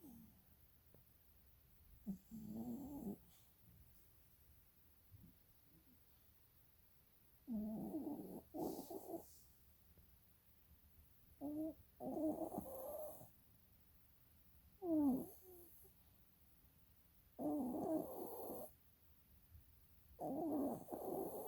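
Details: A sleeping dog with its eyes rolling snores indoors: rough, low breaths with a whistling, tonal edge come in bursts about every two to five seconds, separated by quiet pauses.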